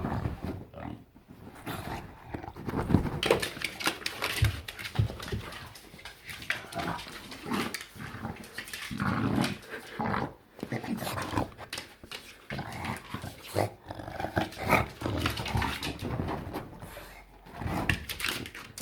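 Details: English Bulldog playing on a couch indoors, snorting, grunting and growling continuously in rough, pig-like bursts, loud and irregular throughout.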